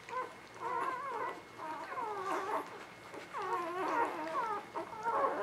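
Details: A litter of newborn puppies in spring 2017, whimpering almost without pause: overlapping thin, wavering squeals that rise and fall, with several pups calling at once.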